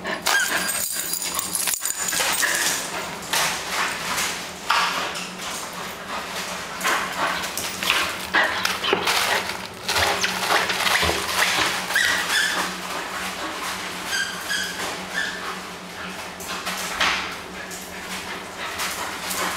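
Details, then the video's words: Bull Terrier playing at home, full of energy: a busy run of broadband snorts, huffs and short whimpering yelps, with scattered bark-like bursts and scuffling through the stretch, against a steady low household hum. "Bully Bull Terrier playing at home"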